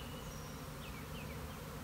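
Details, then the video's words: Honey bee colony swarming on March 26, 2021: a dense, steady low buzzing roar fills the whole stretch, with faint thin bird whistles high above. "My Honey Bees are Swarming!"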